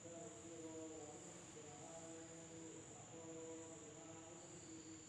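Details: Insects at night in an Indonesian village: a steady, high-pitched continuous drone runs unbroken throughout, with lower, wavering tonal calls overlapping in short bursts beneath it.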